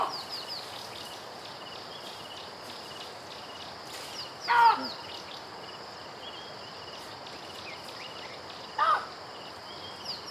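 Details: Baboon calling in a safari ambience: two short, loud, harsh barks about four seconds apart over a steady hiss of insects and faint distant birds.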